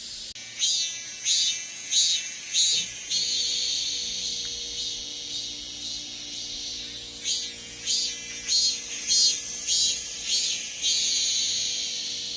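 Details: Korean cicada close by, a shrill buzzing song broken into rapid pulses roughly every half second, swelling, fading briefly mid-clip, then pulsing again, with a faint steady low hum.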